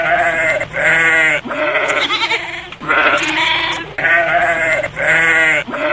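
A goat gives loud, wavering bleats, each about a second long, repeated with brief pauses.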